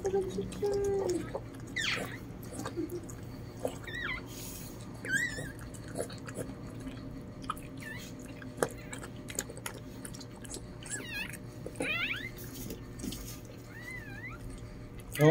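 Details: Lhasa Apso puppies just born to Chloe, indoors: repeated thin, wavering, high-pitched squeaks and whimpers scattered across the stretch, some rising then falling, under ongoing Tagalog conversation and handling noises.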